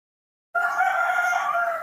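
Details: Newborn monkey in human care asking for milk, giving a single sustained, strong, harmonic wail of over a second, even in pitch and loudness throughout.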